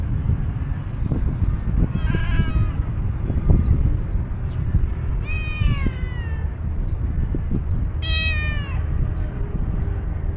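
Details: Stray tuxedo cat outdoors giving angry meows, unrelated to an older cat: three drawn-out, harmonic wails spaced a few seconds apart, the last rising then falling, over a steady low rumble of traffic.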